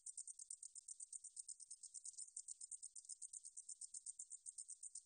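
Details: High-pitched meadow katydid call, a fast train of dry, sizzling ticks, several pulses each second, steady throughout with nothing else audible.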